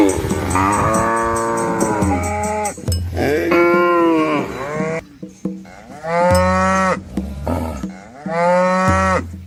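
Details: Herd of red village cows with calves fording a small river in the green Asian countryside, four loud harmonic moos in succession, each about a second long and separated by short pauses, over a steady musical backing.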